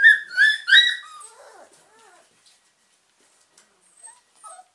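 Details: Awake German Pinscher puppies of the Ettaler Mandl kennel give three loud, high, harmonic yelping squeals in quick succession, followed by softer descending whimpers and a few faint squeaks in near silence.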